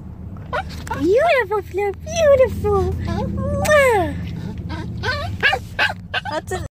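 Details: A 7-year-old Chihuahua cries for his dog mom like a puppy: a run of high, arching whines that rise and fall, some short and some drawn out, over a steady low hum and faint background music.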